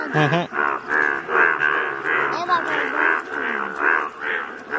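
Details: Yellow-coloured Indian bullfrogs calling in the wild at Malkangiri, Odisha: nasal, harmonic croaks overlap in a dense chorus, pulsing about twice a second, after a brief low voice-like sound at the start.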